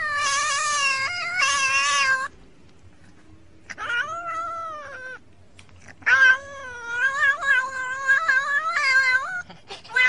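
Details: House cat caterwauling: two quick loud wails, a pause, a softer rising-falling meow, then a longer run of wavering, insistent yowls with short breaks between them.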